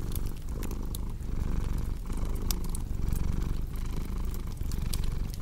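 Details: Domestic cat purring beside a crackling fireplace, in a mix made for deep sleep and relaxation: a steady low rumble that swells and dips with each breath about once a second, with sharp fire crackles and pops over it.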